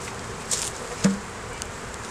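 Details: Honey bees in an opened hive during a beeyard inspection, the colony holding a laying queen, capped brood, larvae and honey, recorded on a Canon Rebel T6 DSLR. A steady low hum runs throughout, broken by two sharp clicks of handling.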